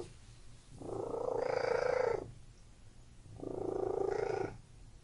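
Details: Cat giving two long, even purring phases about one and a half seconds each, rich and buzzy with a brighter upper tone, separated by a quiet breath-like gap.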